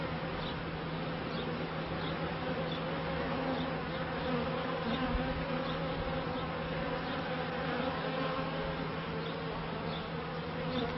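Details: Honey bees at the first hives in a beekeeper's bee yard, recorded in 1994. A steady, droning hum with a low, even pitch holds throughout. Faint voices are heard at the end.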